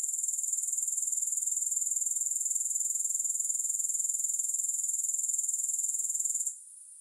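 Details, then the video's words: A dense, high grasshopper trill runs evenly at roughly four pulses per second with no music, then fades away during the final half second. "Grass Hopper Sounds"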